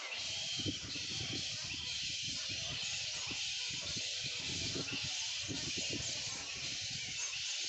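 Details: A morning at a bat sanctuary, where hundreds of bats cover whole trees and keep up their squeaky calling. A thick, constant wash of high squeaks and chirps from the roosting colony, with soft low thumps and murmuring underneath.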